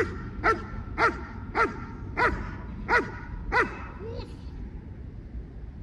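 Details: German Shepherd during basic obedience training: six sharp, harmonic barks in steady succession, roughly every 0.6 seconds, followed by a short softer whine-like note, over a low background rumble.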